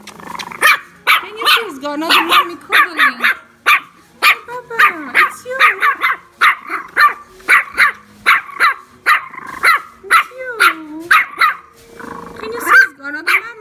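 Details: Tiny female chihuahua in a shop, seeing herself in mirrors for the first time and taking her reflections for many little dogs about to attack her: a rapid run of sharp, high yappy barks, about twenty in fourteen seconds, with a woman talking between them.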